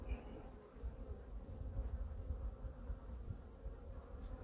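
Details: Honey bee colony in hive #2 during a winter weekly inspection and feeding, with food reserves being checked: a steady low droning hum with faint tonal bands, over heavy low rumbling from handling.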